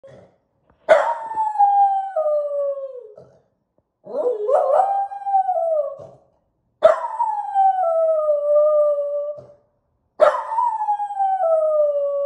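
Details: Miniature poodle howling at home like a wolf, head thrown back, in reply to neighbor dogs barking; four long drawn-out howls, each starting high then sliding down into a steady tone, separated by short silences.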